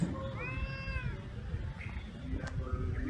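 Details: Cats reunited with a black cat that lives at a pagoda: one clear, arching meow rising and falling, then faint rustling and low background rumble.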